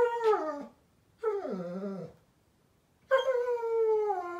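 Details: German Shepherd puppy named Daisy crying at bedtime, 15 May 2021. Three loud, tonal howling whines, the first and last falling steadily in pitch, the middle one dipping and then rising, separated by short silences.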